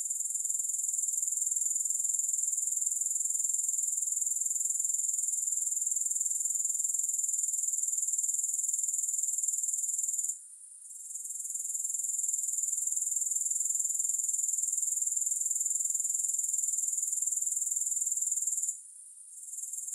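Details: Grasshoppers, recorded without music, keep up a continuous shrill trill of fast, even pulses at a very high pitch, broken by two short silent gaps, one near the middle and one close to the end.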